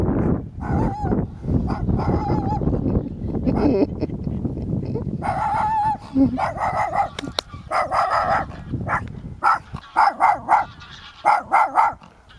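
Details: A small dog barking in greeting on a nice day while waiting, giving a series of short sharp barks, mostly in the second half, following loud handling noise and a person's voice.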